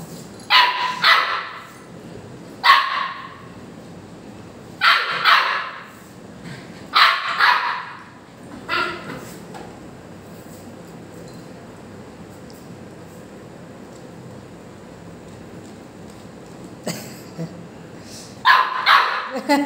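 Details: Two-month-old Labrador Retriever puppy demanding more chapati, barking at its owner: bursts of sharp, high yapping barks roughly every two seconds early on, a quiet stretch in the middle, then more barks near the end, indoors.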